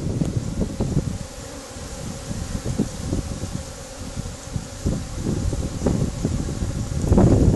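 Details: A honey bee swarm makes a dense, steady low hum of many wings beating together, recorded aboard a boat at a yacht club.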